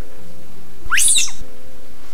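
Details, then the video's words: Infant Assamese macaque left behind when its troop fled from researchers, calling loudly before its mother returned and carried it away; a single sharp, high squealing cry, rising then falling, about half a second long, over quiet forest background. "และทำได้เพียงร้องเสียงดังๆเป็นจังหวะอย่างต่อเนื่อง"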